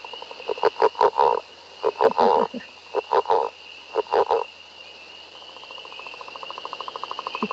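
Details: Northern Leopard Frog call, played as a recording during frog-monitoring training: low, snoring, rattling croaks in short bursts, then a faster, steady pulsed rattle, over a continuous high drone from another caller.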